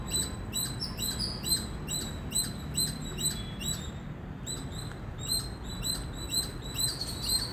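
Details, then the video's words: An Indian squirrel chirps loudly and persistently, clipped high-pitched notes coming in an uneven run of a little over two per second, with a brief pause midway, above a constant low background rumble. "Squirrel Sound | Squirrel Voice | Loud Squirrel Chirping Sound"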